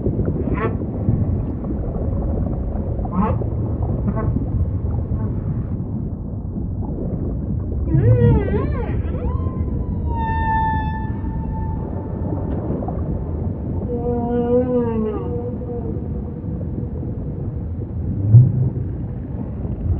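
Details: Humpback whale singing amid ocean ambience, starting with faint scattered upswept chirps. A sharp rising harmonic whoop follows, then a long level drawn-out wail and a quick series of wavering upward sweeps. A steady deep underwater rumble runs throughout.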